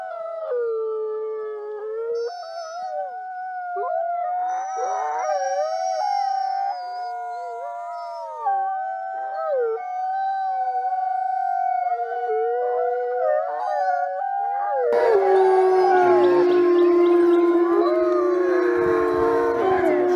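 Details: Wolves howl as a pack in a sustained chorus of overlapping drawn-out tones that waver and bend; partway through, the recording switches to a louder, rougher section with more voices and added noise.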